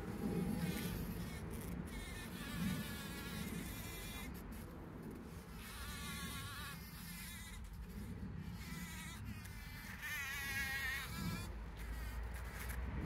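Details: Bees foraging for pollen, 17 June 2023, on a trail camera: a low droning hum with repeated close fly-by swells, the buzz strengthening and fading every few seconds against light background hiss.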